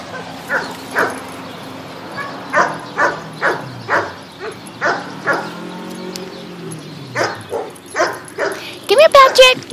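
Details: Bichon Frise poodle Patrick, an adoption dog at the Animal Compassion Team Sophia adoption center, yaps during a ball game; quick barks come in runs, with a person's coaxing voice and a squeaky sound at the end.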